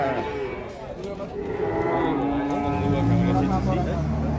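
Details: A drawn-out, low moo from cattle in Indonesia after Idul Qurban, the steady tone sinking deeper toward its end, with music and clapping nearby.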